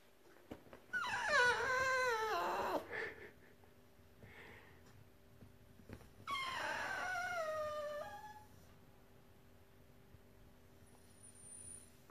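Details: A female Cavalier King Charles Spaniel, indoors at Christmas, whines for a present she wants to open early: two long, wavering, high whimpering howls, each about two seconds, with a quiet gap between and faint room hum.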